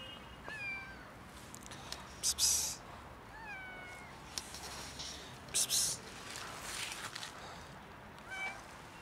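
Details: Female cat, not hungry but wanting to play, rolling on the ground beside a stranger; about four short meows falling in pitch over nine seconds, mixed with loud rustling bursts.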